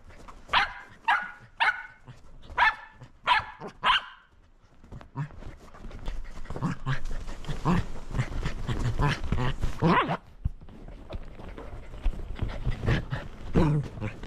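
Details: Shetland Sheepdog at play with a lint roller: five loud, clipped barks in the first four seconds, then a long stretch of rustling and handling noise with human voices and laughter.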